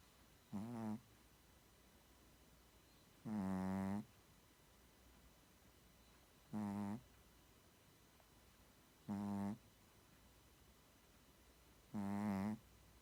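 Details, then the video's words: Shih Tzu snoring in its sleep: five rough, droning snores at a steady pace of about one every two to three seconds, one longer than the rest, with quiet between. "시츄 코골이"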